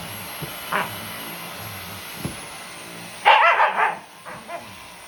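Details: Sakura, a pet Shiba Inu × Siberian Husky mix worked up by a Dyson vacuum cleaner, lets out a single early bark, then a loud cluster of rapid yelping barks near the end, over a constant motor hum.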